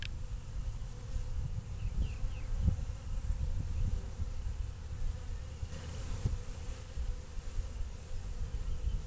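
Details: A steady, low droning hum of honey bees waking up after a long winter, with a few faint chirps in the background.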